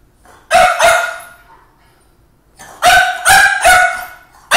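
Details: French Bulldog barking at his own reflection: two sharp barks, a pause of about a second and a half, then a quick run of three barks and a fourth at the end, each bark harsh and rich in overtones.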